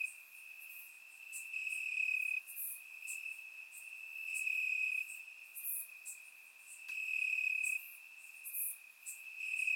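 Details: Chorus of crickets in Bulgarian grass on a warm summer night, surround microphone: an unbroken shrill buzzing note that rises and falls in loudness in slow waves, with scattered sharper ticks and chirps higher up.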